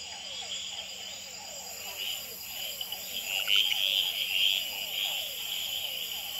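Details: Night chorus at Gamboa's Experimental Pond, where male red-eyed treefrogs call, tremulate and fight on a potted plant. A quick burst of three clicks sounds mid-clip against a continuous high trilling of hourglass treefrogs and rhythmic falling notes from other species.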